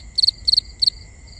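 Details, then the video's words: A cricket at night, recorded binaurally, gives three bright chirps of three quick pulses each, spaced about a third of a second apart, over a continuous thin high trill. "Cricket Conversations | Binaural Nighttime Ambience"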